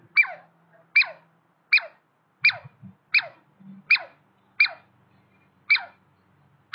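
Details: Douglas squirrels, a male and a female, in a territorial turf war. Sharp descending chirps repeat about every 0.8 seconds, each a bright falling note. A faint low hum runs underneath.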